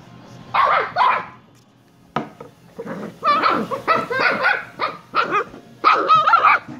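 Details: Shiba Inu pups Kyno and Niro yipping in bursts: two barks, a pause, then a quick string of high wavering yelps and barks with a slight warble, under faint background hum.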